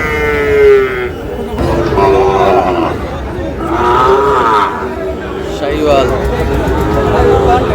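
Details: Sahiwal breed bull calves at the start of trading at Ambari cattle market, Dinajpur, on 12 June. Drawn-out harmonic lowing rises and falls in several long calls, overlapping with human voices and general market chatter.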